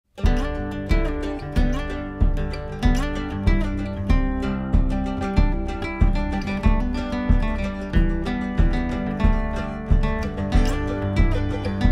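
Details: Steady strummed acoustic guitar music with a regular rhythmic beat throughout; no animal sounds.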